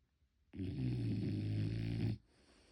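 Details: French Bulldog puppy named Motchi asleep at home, unedited recording: one long, deep rumbling snore lasting about one and a half seconds, a low droning rattle with quiet room silence before and after.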